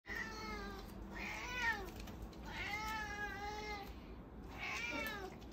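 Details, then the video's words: Female cat meowing loudly and insistently while chasing her owner for a sandwich, motivated by cheese; four drawn-out, wavering meows, each about a second long, separated by short pauses. "Cat Meowing Loud"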